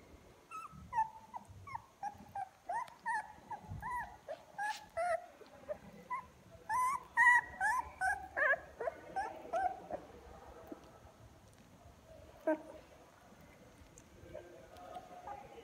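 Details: Young puppies in a litter, now starting to walk, opening their eyes and crawling toward their mother, their cries growing louder; a run of high whimpers and yips, rising and falling, repeated rapidly for about ten seconds, then quieter.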